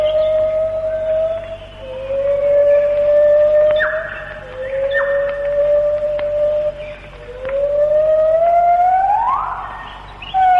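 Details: A white-handed gibbon, Malayan rainforest, late 1950s to early 1960s, sings its melodious morning song: long, pure hooting notes, each held a couple of seconds, the last sweeping sharply upward, faint forest hiss underneath.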